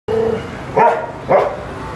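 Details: Tibetan Mastiff in an aggressive mood: a steady low tonal sound, then two loud, deep barks about half a second apart, each a short harsh burst.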